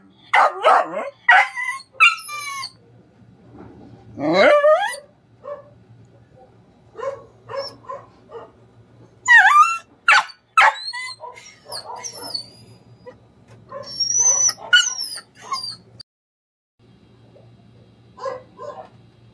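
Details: A pet dog reacting while a neighbor's dog keeps barking: loud, sharp barks and yips mixed with rising whining howls in irregular bursts, with short pauses between them.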